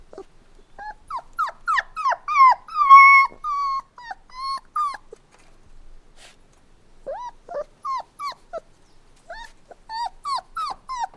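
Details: Puppies crying: clustered high, downward-bending whimpers with a steadier drawn-out whine, a quiet gap of about two seconds, then renewed runs of short plaintive cries.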